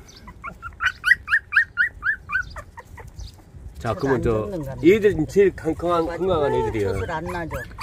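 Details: Puppies 24 days old, a litter with females among them: a run of short, high, rhythmic whimpering squeaks about twice a second, then a person's laughing speech takes over the second half.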